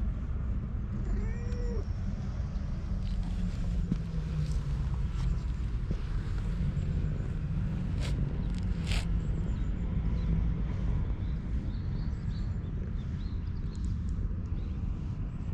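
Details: Stray domestic cat, stroked and rubbing happily against a wall, gives one short rising-falling meow early on, over a steady low rumble that runs throughout, with scattered rustling handling clicks.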